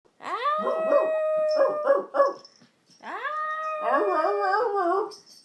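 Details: Yorkshire Terrier howling along with its owner: a long, steady tonal howl, then short wavering pulses, a brief pause, and another rising howl breaking into quavering, warbling notes.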